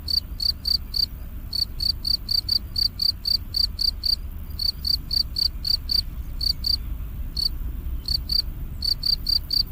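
A cricket gives rapid, high, pulsing chirps in quick regular bursts.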